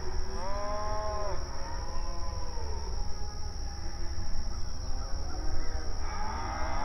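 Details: Cattle on open range pasture, grazing and calling to one another; a long moo opens, followed by softer, lower lowing in the middle and a fresh rising moo near the end, over steady low-frequency background noise.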